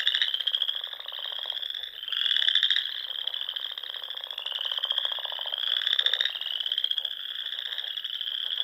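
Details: In spring dunes of Nebraska's Sandhills, frogs fill the dusk air around ponds with an unbroken high trilling chorus, intensifying in rasping pulsed swells around every three to four seconds.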